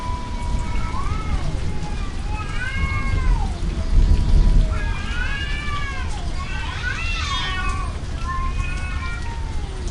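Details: Cat fight outdoors in rain and thunder: drawn-out wavering yowls and rising-falling howls overlapping in bursts, with steady rain noise and deep low rumbling beneath.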